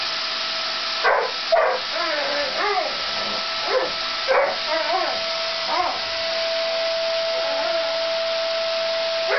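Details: Labrador Max reacting to a vacuum cleaner he hates: short barks mixed with higher whining, yelping calls that bend up and down, scattered irregularly over the constant drone of the running machine.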